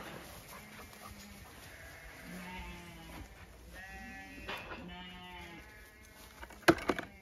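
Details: Separated Zwartbles ram lambs on a County Kilkenny farm in Ireland calling while being moved away from the ewe lambs: several drawn-out, quavering bleats at varied pitches, one after another, over low background hiss and a sharp knock near the end.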